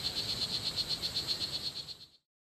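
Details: In Costa Rican jungle, one of two strawberry poison dart frogs gives a fast, even train of high buzzy chirps, roughly eight per second, for about two seconds before abrupt silence.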